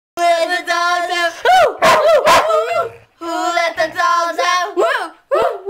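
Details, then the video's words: Sheepdog singing along to "Who Let the Dogs Out" at 2 in the morning, very loud; long sustained howled notes with rich harmonics, broken by wavering bends and short breaks. "Sheepdog sings to "who let the dogs out""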